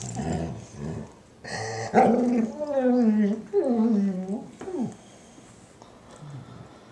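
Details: Happy noises from a female German Shorthaired Pointer having her ear cleaned by her sister, a Weimaraner: a few low grunts, then a series of drawn-out, falling whiny moans, each sliding downward, fading to quiet.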